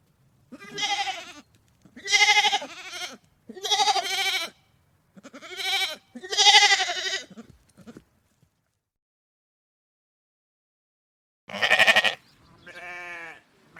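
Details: A series of short, quavering sheep bleats, five in quick succession, then a pause of several seconds before two more baas, the last softer and smoother.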